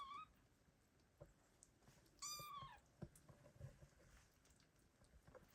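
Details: Loud kitten meows calling for a mother cat that abandoned her litter in 2022: a short cry at the start, then a longer high meow curving downward, with faint shuffling noises after.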